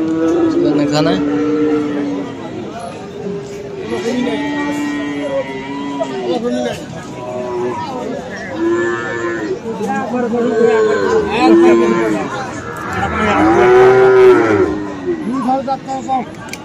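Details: Friesian and crossbred bull calves at the Aftabganj cattle market, Dinajpur, 21 February. Repeated low moos from several animals overlap, some short, some swelling, with the loudest near the end, over a steady murmur of crowd voices.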